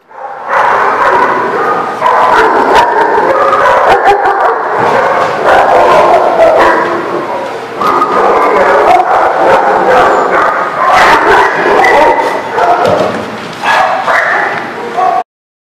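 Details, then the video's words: Many dogs at a kennel or boarding lot bark over one another in a continuous dense chorus of overlapping barks and yips, loud and almost unbroken for about fifteen seconds before stopping abruptly. "The Barking Lot"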